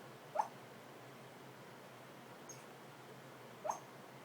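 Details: Pet dog vocalizing suddenly while asleep at home: two short, high, squeaky whimpers about three seconds apart, the second slightly longer, with a faint chirp between them, over a quiet, steady room hiss.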